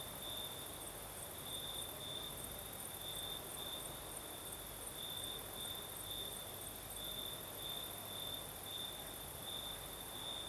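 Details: Crickets sing at night on the southern Crimean coast amid a night breeze, their high trill beating in regular bright pulses above a steady upper shimmer, with low background hum beneath.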